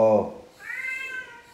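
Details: A woman's short Tagalog reply is followed at once by the male cat Fifi answering back with a long, even meow, the pet conversing whenever his owner talks to him indoors.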